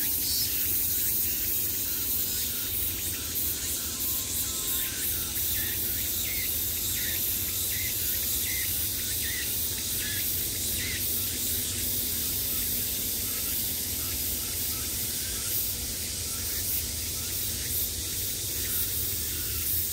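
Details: Cicadas buzzing in summer, heard from all sides: a dense, unbroken high hiss fills the upper range for the whole stretch, with faint pulsing texture and a low rumble underneath.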